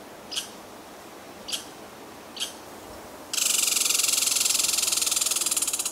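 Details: American red squirrel (Tamiasciurus hudsonicus) on the Wood Duck Trail, Wallkill River National Wildlife Refuge, Sussex County, New Jersey, gives three sharp high chips, then breaks into a loud, rapid, dry rattling chatter.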